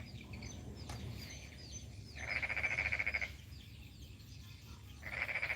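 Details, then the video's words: Frog in a developing rural village, Kampung Baru Mangkupadi, North Kalimantan, in the morning: two bursts of fast, rattling pulsed croaks about a second long, separated by a quiet gap with low background hum. "Apakah kalian mendengar suara kodok?"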